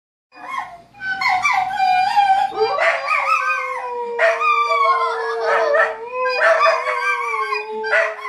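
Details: Dogs howl in long, wavering tones with occasional yips, joining in with a steady, flute-like recorder note being played to them.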